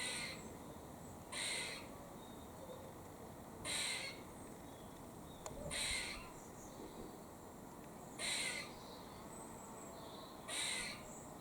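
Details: A squirrel in Cambridge, UK, on 17 October 2020 sounds harsh, buzzy, rasping alarm calls, each about half a second long, roughly one every two seconds, as a warning, over faint background hiss.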